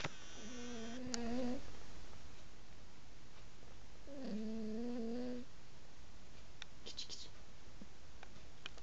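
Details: Sleeping house cat snoring: soft, drawn-out nasal tones, each a second or more long, recurring about every three seconds with the breathing, and a few light clicks and rustles in between.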